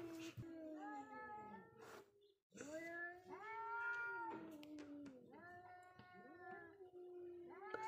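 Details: Two wild cats facing each other in a confrontation: drawn-out, wavering yowls that slide up and down in pitch, repeated in long overlapping wails with brief pauses between them.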